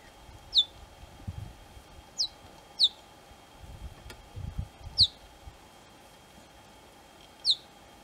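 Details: Young cheetahs near their mother call out to her with piercing, downward-gliding chirps, about six across the stretch, spaced unevenly, with soft low rustling between them.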